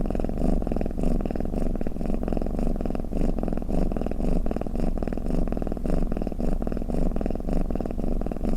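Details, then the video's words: Cat's purr-like snore: low, buzzing vibration pulsing rapidly and without pause, holding a steady level throughout, with nothing else audible. "เสียงแมวคราง เสียงกรนของแมว | snoring cat"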